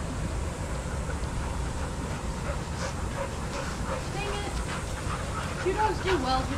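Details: Shelter dogs playing together at a daycare, with a few short barks and high yips clustered near the end over a steady low rumble and human voices.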